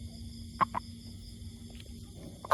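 A toad gives short, mid-pitched croaking notes in pairs over a steady electrical hum.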